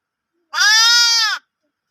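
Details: Loud baby sheep baaing: one clear, even bleat just under a second long, bright and nasal with a gently arched pitch, in quiet surroundings.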